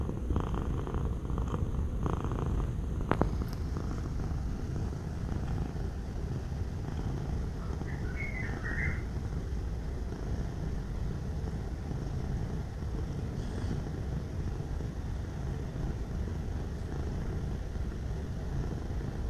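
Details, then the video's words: Domestic cat purring in a steady, low, throaty rumble made of fast, even pulses that runs unbroken for about nineteen seconds, with a brief sharp click near the three-second mark and a faint higher chirp around eight seconds. "Suara Kucing Mendengkur"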